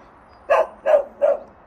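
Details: A plump, friendly dog called Tongtong barks at a newly arrived parcel driver, eager to play. Three crisp, evenly spaced barks at mid pitch, about one every 0.35 seconds, against a quiet outdoor background.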